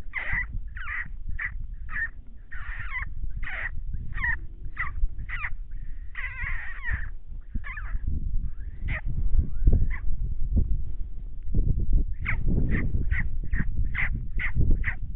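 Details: Wild coyotes, three groups howling at night while a large adult male stalks deer along a fence line; rapid bursts of high, harsh yips and wavering short howls, repeated many times in a chattering chorus over low rumbling background noise.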